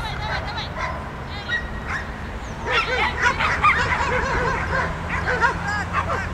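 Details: At the DiskHunters club's "Autumn Waltz" dog frisbee accuracy contest, the Groenendael Star Wolf Eros gives high, arching whines and quick yips, closely repeated, with people talking and ambient murmur behind.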